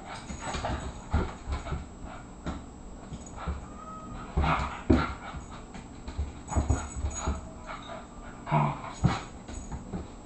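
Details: A 24-pound Irish Terrier boxing in play with an 18-pound housemate. Short, irregular whimpers and yips are heard among thumping scuffles. Low rumbling handling noise runs underneath throughout.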